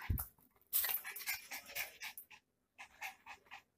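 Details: Badly behaved Miniature Pinscher inside a small room of the house it keeps messing up; a thump, then fast breathy panting that stops for a moment and resumes in short regular puffs.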